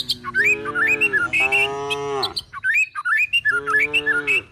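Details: Cows and calves searching for food while being herded to the forest, giving two sustained moos, one long and one shorter, over loud, lively twittering from nearby birds.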